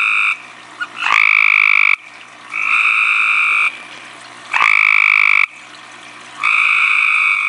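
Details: A tree frog at night, called right in its face, gives loud, nasal, honking calls in steady bursts with short pauses between.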